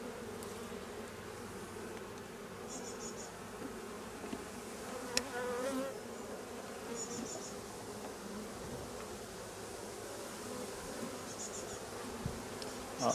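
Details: Honey bees humming at a hive while being handled during replacement of drone-laying colonies; an even low buzz throughout, with brief high chirps recurring in the background and a few sharp knocks and clicks.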